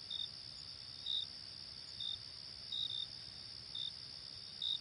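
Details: On a late summer night, crickets chirp in short, high bursts roughly once a second over a steady, shrill insect hum.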